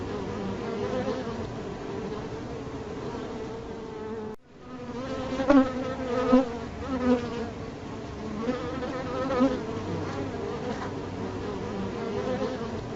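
A bee's steady, droning buzz, a low hum with rich overtones that swells and fades as it moves.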